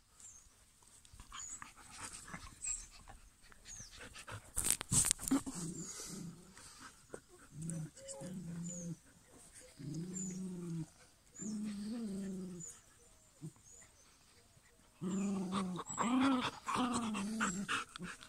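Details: Six-week-old Maremma Sheepdog puppy whining in a string of short tonal whimpers, some level and some wavering, several per second in bursts with pauses between, over faint background noise and scattered clicks.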